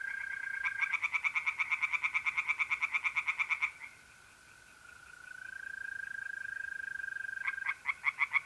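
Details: Tree frogs calling by night from a pond in North-East Italy, mid-April. Three seconds of quick, rhythmic croaking pulses, a pause filled only by the smooth trill of mole crickets, then the frogs start again.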